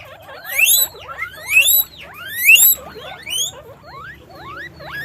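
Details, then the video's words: Caged guinea pigs on a farm squeak loudly in overlapping rising whistles with sharp upward sweeps, about one burst per second, several animals calling together over a faint low hum. "guinea pig sound, guinea pig noise"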